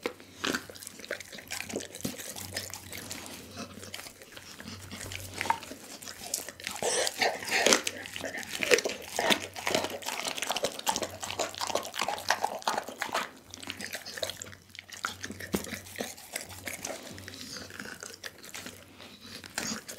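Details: Whole chicken being eaten by Dougie the pit bull: long stretch of moist crunching and gnawing, bone-cracking bursts building in the middle, dense irregular chewing throughout.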